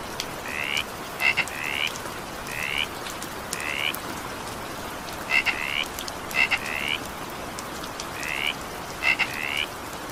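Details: Frog calling during evening rain: short, bright, slightly rising croaks in irregular clusters, some doubled, roughly a dozen in ten seconds, over a steady hiss of falling rain.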